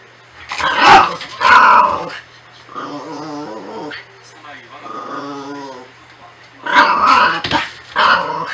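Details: A Norfolk Terrier named Natsume makes a run of wavering, throaty growls in the middle of the clip, rising and falling slightly in pitch. Human speech comes before and after them, and a constant low hum sits in the background.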